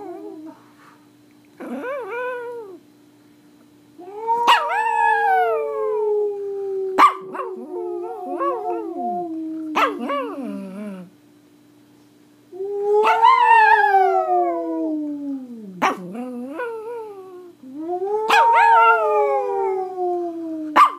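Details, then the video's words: Singing Pomeranian in India delivering long drawn-out howls that slide downward, broken by sharp yelps and pauses, phrases lasting two to four seconds each, recorded indoors with a steady hum beneath. "Singing Pomeranian"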